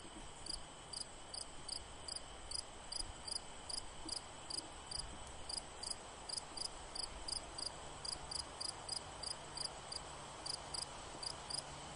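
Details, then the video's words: A cricket chirping steadily, short high-pitched chirps repeated about three times per second over a constant hiss of background noise. "Cricket sound"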